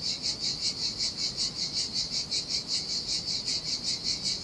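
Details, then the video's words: On a deserted Sardinian beach in summer heat, cicadas produce a shrill, sizzling buzz that throbs in even pulses roughly two and a half times a second, sustained without a break, over a soft low background. "Ocean Waves & Cicada Sounds"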